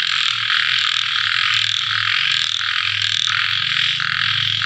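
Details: Small frogs calling at night after rain, a dense pulsing chorus of high, rasping croaks that swell and fade in overlapping bursts, with a low steady hum underneath.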